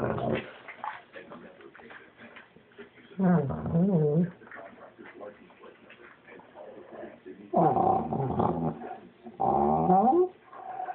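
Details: Dog growling: three loud, wavering bursts of growling and whining, each about a second long and rising and falling in pitch, between stretches of television speech and softer background noise.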